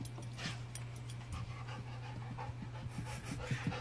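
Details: Dog ready for a walk with his leash in his mouth, impatient to go to the dog park, panting in soft breathy pulses roughly every half second over a steady low electrical hum.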